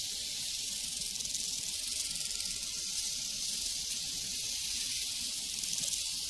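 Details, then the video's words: Prairie crickets in a steady, high-pitched, rapidly pulsing chorus with no break, forming a continuous shimmering hiss; a faint bell tone lingers in the background. "Sounds from a Prairie Crickets and Cowbells"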